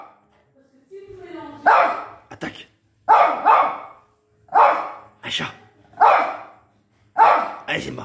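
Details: Pet pinscher Simba barks at a faint noise at home; a soft whine opens before a run of loud, clipped barks, some doubled, spaced about a second apart, while a man's voice speaks in the gaps.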